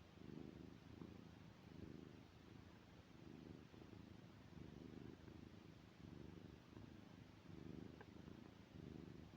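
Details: A domestic cat asleep and snoring: soft, low, breathy snores repeating roughly every one and a half seconds in an even rhythm, each lasting about a second, in a quiet indoor setting.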